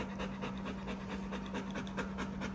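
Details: Panting Bernese Mountain Dog named Benny, resting after a full day with both owners; fast, even, breathy puffs repeat steadily throughout, with a constant low electrical-like hum beneath.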